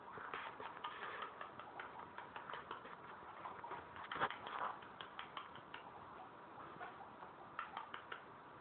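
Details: Pet guinea pigs eating and making a mess outside their cage, recorded on an Android phone: rapid dry clicking and crunching ticks of chewing, scattered irregularly throughout, with a louder crunch near the middle and a faint background hiss.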